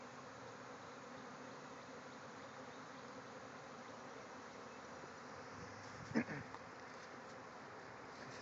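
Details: Thousands of bees in a swarm pouring out of a backyard hive and flying all around. A steady, dense, broadband buzzing hum holds throughout, broken by one brief knock or thump about six seconds in.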